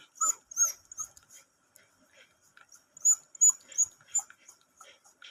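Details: Bruno, a pet dog, gives short high-pitched whimpering yips in two quick bursts, five or six sharp cries each, separated by a pause of about a second and a half, with faint speech nearby.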